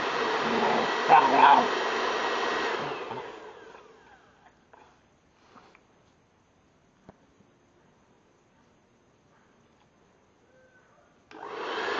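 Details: A hair dryer roars, fades into near silence broken by a few soft knocks and clicks, then starts up again at the end.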